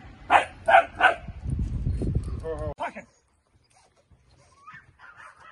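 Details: Dutch Shepherd puppy during early training work in France; three quick barks at the start, then a man's voice, a whine-like tonal sound, and near silence with faint noises.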